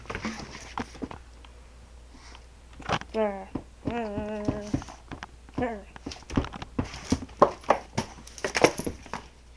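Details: Rosie, a female Staffordshire Bull Terrier, making strange noises while playing with another dog, Ruby, indoors; wavering, moaning whines with stacked overtones come in bursts, with a woman scolding and scuffling sounds throughout.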